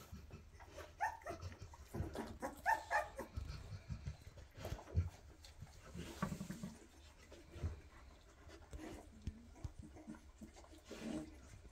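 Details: Two-and-a-half-week-old Weimaraner puppies chasing their mom to nurse give thin wavering whines early on, then softer grunts and scuffling paws indoors, with low background hum throughout.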